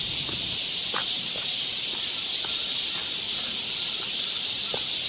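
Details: Cicadas singing along a forest trail in Seoul during the Korean summer: a dense, unbroken high shimmering buzz holding steady and even throughout, with faint soft ticks underneath.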